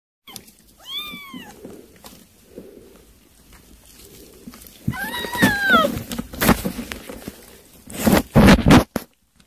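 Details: Kittens eating weaning food give two short, clear meows that rise and then fall. Thumps, rustling and loud clattering noise bursts surround them.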